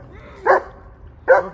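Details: A German Shepherd gives two short, gruff barks, each a quick burst about a second apart, barking at his own brother.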